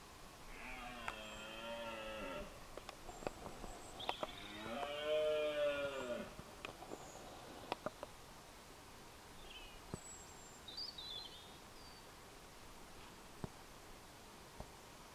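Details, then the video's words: Deer roaring at one another during the rut at dawn across a glen in Scotland; two long harmonic bellowing roars, the second louder and wavering, followed by soft high chirps of small birds in the dawn chorus. "Deer roaring during the rut - at dawn"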